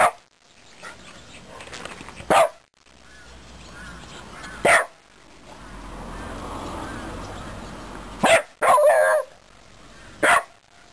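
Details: A Shiba Inu barks at a small beetle it won't approach, giving about five sharp, high barks a few seconds apart with a quick double bark near the end; crows and a lesser cuckoo call in the distance over a soft hum.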